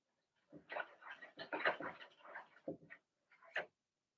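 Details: Blenheim Cavalier King Charles Spaniel puppies from Remy's first litter of six, two girls and four boys born March 7–8, vocalising in an indoor puppy pen: a tumbling run of high, squeaky yips and squeals, then two short separate yelps.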